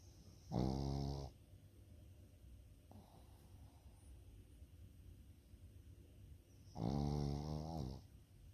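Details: A sleeping Pekingese with a flat, pushed-in nose snores twice, about six seconds apart. Each snore is a loud, buzzy, droning rasp. The breaths between them are quiet.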